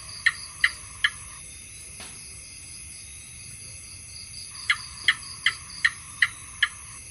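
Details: House gecko giving a run of three sharp clicking chirps, then after a pause six evenly spaced chirps, against a constant thin high whine.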